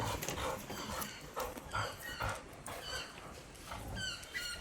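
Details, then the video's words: Rottweilers fighting: a rapid series of short, rough bursts, some with thin high whine-like tones, repeating about twice a second, with a person scolding in Bengali in the background. "বিশাল যুদ্ধ হলো Rottweiler এর"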